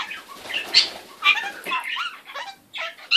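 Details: Pet kakariki parrot making funny, weird noises: a jumble of short squeaky chirps and warbled notes, some rising and falling, loud bursts near the start and end with quieter gaps between.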